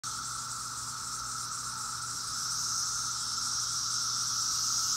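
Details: A dense chorus of cicadas in Maryland in 2021 makes a steady, shimmering drone with a high hiss and a lower whirring hum.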